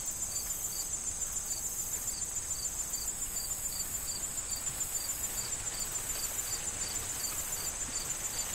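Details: Crickets calling in a corn field on an autumn day with wind: evenly spaced high chirps, a little over two a second, over an unbroken shrill hum, with corn stalks rustling softly.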